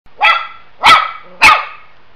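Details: Dog. A dog barks three times in quick succession, each bark short, loud and bright with strong harmonics. The barks come roughly every half second against an otherwise quiet background.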